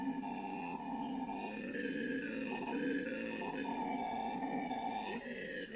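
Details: Morning chorus of howler monkeys in Bolivia's Amazon rainforest, a continuous loud droning roar of stacked sustained tones with slight wavering and brief dips, steady throughout the recording.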